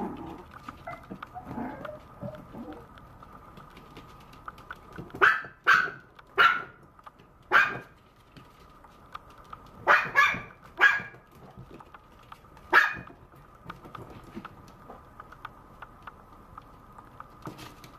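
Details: Maltese puppy yapping in bursts: four quick shrill barks, a pause, three more in fast succession, then a single bark, with quiet stretches before and after and a steady low hum underneath.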